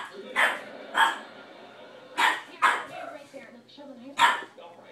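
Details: Boston terrier puppy directs barks at a cat: five short, sharp barks at uneven intervals, two paired close together, with a human voice speaking alongside.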